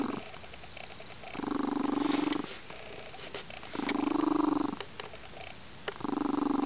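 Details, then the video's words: Blissful purring from a lynx-point Siamese foster cat, Crystal, resting on a sunny windowsill on a weekend afternoon; pigeon-like cooing rumble in three roughly one-second pulses with quieter breathing between, a few faint clicks. "Crystal, the World's Loudest Purring Lynx-Point Siamese Cat!"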